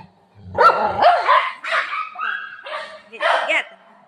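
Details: Shih tzu barking while playing with a ball alongside a golden retriever: five short, harsh, yelping barks spaced roughly half a second apart, some rising in pitch, with a person talking nearby.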